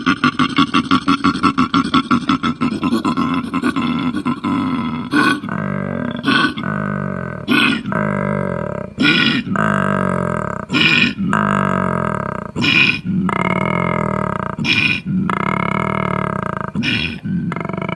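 A koala gives deep, rasping grunts that open with a rapid snoring rattle, then long throaty rumbles.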